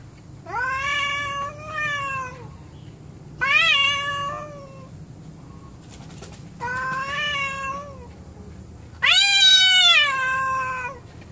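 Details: Domestic cats described as angry and not getting along with each other: four long drawn-out wailing yowls, each about one to one and a half seconds, rich and nasal, pitch wavering then falling, separated by quiet pauses indoors.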